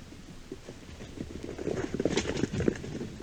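Deep, gruff pulses from a European badger tumble out about four a second in a ragged rhythm. They start soft and grow louder and denser toward the end, with nothing else clearly heard.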